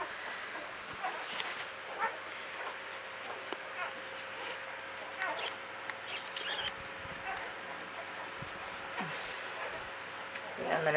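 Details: A litter of Belgian Malinois Shepherd puppies, ten days old, at a kennel: brief high-pitched squeals and whines come in irregular clusters, mixed with a person's voice and a louder rustle near the end.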